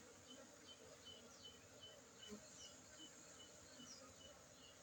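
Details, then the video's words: Honey bees from Aceh, Indonesia, droning in a steady low buzzing hum with layered tones, joined by faint, evenly repeated short high ticks. "lebah madu aceh"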